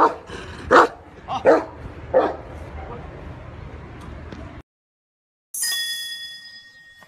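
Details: An Asian mastiff barks three times, each short, hoarse bark spaced roughly 0.7 seconds apart over a low background hum, then a brief silence and a bright, ringing chime-like tone.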